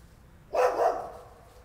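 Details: A single loud bark from a neighbour's dog, a short double-pulsed woof that trails off into quiet.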